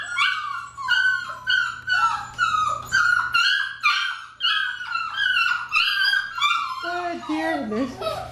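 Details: Nine six-week-old Labrador Retriever puppies, a large litter at home, whine in a steady run of high, squeaky, rising-and-falling whimpers, one overlapping another, with the calls sliding lower near the end.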